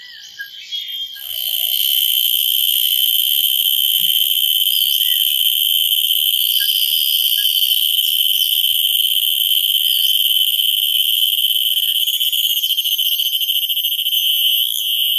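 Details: Cicada giving a loud, continuous high-pitched droning buzz that swells in within the first two seconds and holds steady, with a faint whistled tone running beneath it.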